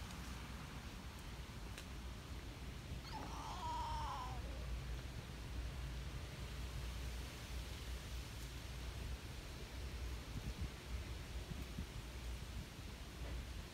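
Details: Calico park cat appealing for attention with a distinctive meow. A single wavering, slightly falling meow sounds around the third second over a steady low background rumble.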